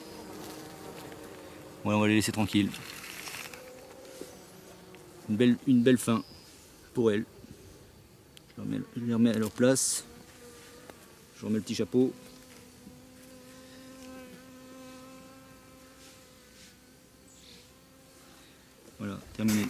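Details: Honey bees of a drone-laying colony, frames shaken out about fifty metres from the apiary so laying workers do not return to the hive site. Steady droning hum, interrupted by speech at first, then the buzz continues alone for the final seconds.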